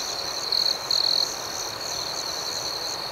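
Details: Crickets chirping at night in a serene outdoor setting, a steady high-pitched pulsing trill with two louder, brighter bursts near the start over a constant background hum.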